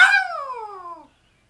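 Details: Howl from Smokey, a pet Yorkshire Terrier crying for Mom: a bright, loud onset falling in pitch across roughly a second, with rich harmonics, then silence.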